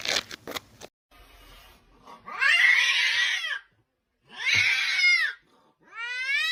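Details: Cat caterwauling in a compilation of cat clips: after a few sharp knocks, two long harsh wavering yowls of about a second each, then a rising clearer meow at the end.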